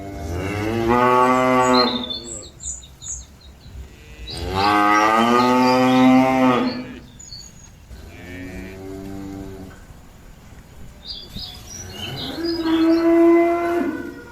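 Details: Cattle calling companions back to the pen, giving four drawn-out moos across the recording, the middle ones loudest and wavering, the last lower and steadier, with bird chirps scattered between calls.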